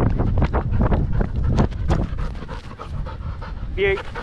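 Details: Danny, a Belgian Malinois in the Philippines, pants in quick broadband bursts while playing fetch, about two or three breaths a second, with a brief whine near the end and human voices and outdoor noise behind.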